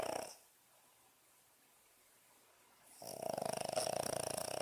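A Boston Terrier snores with a rapid, fluttering rattle after a brief noisy start and a quiet pause.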